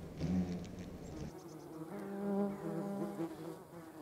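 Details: Yellowjacket wasps gathering protein for larval feeding give a low humming buzz. A brief louder burst comes first, then a smoother, slightly rising drone that holds for several seconds.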